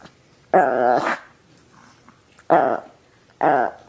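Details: Chihuahua, a pet dog, giving three short voiced growling barks, each a harsh harmonic burst of about half a second or less, separated by quiet pauses, while being offered a cookie; a person talks affectionately nearby.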